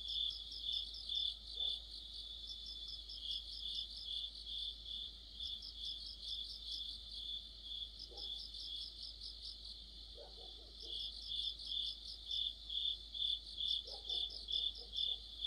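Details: Crickets and other insects in a deep-autumn chorus by a street lamp, a continuous high ringing trill overlaid with rhythmic pulsed chirps about twice per second, swelling and fading in bursts, faint lower clicks now and then.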